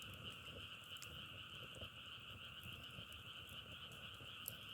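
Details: A frog chorus heard as a nature sound, with a steady, unbroken droning trill in two high bands and scattered faint clicks and crackles below.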